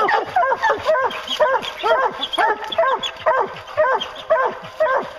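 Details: A pack of hunting hounds pursuing bear keeps up quick, regular barking, around two bays per second, several dogs layered at slightly different pitches.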